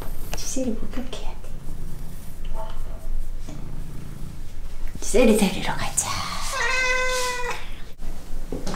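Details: Ragdoll cat angry during a bath, indoors in a small room: a long, drawn-out harmonic yowl near the end, with running water and a person talking earlier.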